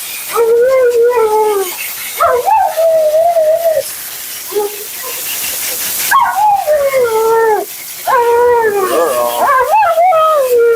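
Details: Female Siberian Husky Mila keeps up nonstop commentary while being bathed and groomed. Repeated wavering, yodel-like howls slide up and down in long phrases, with brief yips between them and a constant rushing hiss behind.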